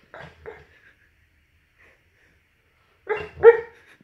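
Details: A mastiff barking while dreaming: a short burst of soft, muffled woofs near the start, then a louder double woof about three seconds later, with quiet in between.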